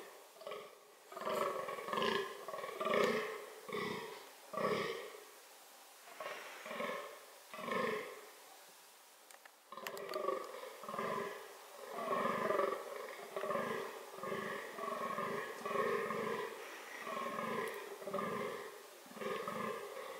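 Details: Fallow deer (Dama dama) groaning as part of reproductive behaviour, a rhythmic series of harsh, belch-like grunts about once a second, with a brief break midway before the sequence resumes.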